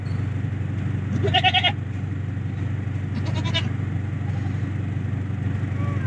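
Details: Boer goats being collected and loaded into a van: a short wavering bleat near 1.3 seconds and a fainter second bleat near 3.4 seconds over a steady low engine-like rumble.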